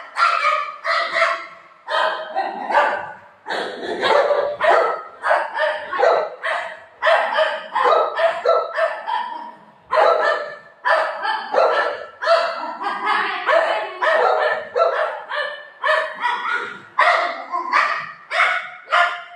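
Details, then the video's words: Playful golden retriever named Buzo, romping with mom, lets out a long, nearly nonstop string of rapid, rough barks and yips, about two per second, sustained for almost twenty seconds. "cute golden retriever dog playing with mom"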